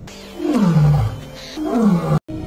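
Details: A pride-leading male lion, having just urinated, gives two deep, groaning roars sliding down in pitch, a message to the lionesses that he wants to mate; the roar disturbs their midday nap from a distance.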